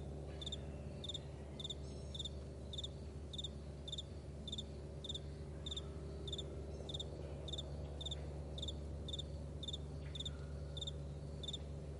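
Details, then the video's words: High, clipped cricket chirps in a morning meadow, pulsing regularly near twice per second for the whole stretch, with a quiet low-pitched drone behind. "Morning Crickets"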